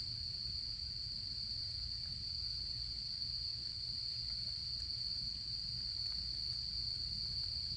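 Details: Autumn insects sustain one bright, high, continuous trill from start to finish; a campfire adds only a few quiet crackles, and a low murmur fills the background.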